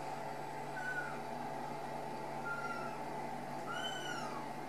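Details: Ragdoll kittens, raised loose in a home cattery in central Kansas without cages, give three thin, high mews spaced a second or two apart, each a short arched note over a steady low hum.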